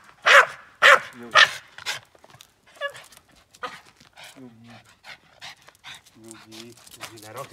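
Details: A male Boston terrier, upset by noises and movements while cleaning the car with his owner, gives four sharp, loud barks about half a second apart, then a man speaks.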